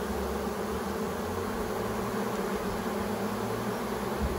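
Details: Swarm of bees moving from a branch into a new hive box, queen among them; continuous, even, low buzzing drone filling the whole recording.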